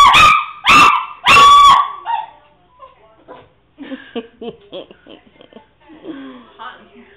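A Shih Tzu gives three sharp, high barks, followed by softer chatter and a girl's voice.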